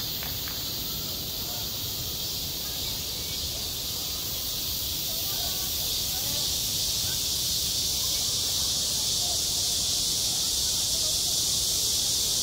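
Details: Cicadas singing on a school playground in high summer, a dense, unbroken, high-pitched hiss that stays steady and loud throughout with no pauses.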